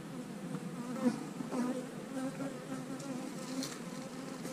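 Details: Honey bees at an open hive on split day, when colonies are divided and queen cells are placed in the splits. A steady, low hum holds one pitch throughout, with faint overtones stacked above and light handling noise.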